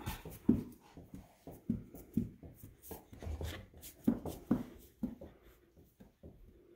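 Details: Two puppies, Vermont and Manok, at playtime indoors: short low growly grunts and huffs in quick irregular bursts, some with brief nasal squeaks, over soft scuffling and thumps of play.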